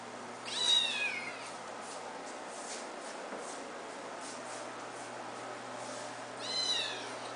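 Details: An eight-week-old white kitten mews twice, about six seconds apart. Both are brief, high, downward-sliding cries. A steady hiss of background noise and faint soft clicks fill the gap between them.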